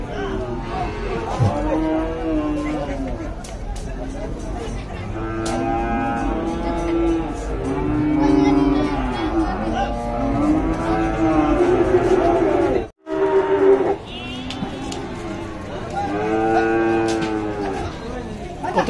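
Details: Many cattle at Dhaka's largest weekly livestock market, 24 September 2022, give repeated, long, wavering moos in steady succession. Buyers and sellers talk throughout, with faint music in the background.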